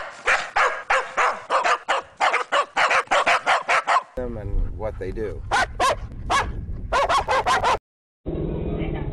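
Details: Dog barking hard and fast, a dense string of loud barks for four seconds, then barks mixed with a low rumbling background and other voices, ending in a hum.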